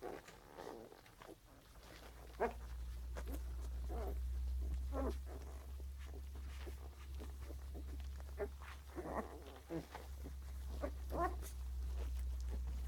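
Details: Puppy grunting in quick, uneven pulses, roughly three per second at times, set against a loud continuous low rumble.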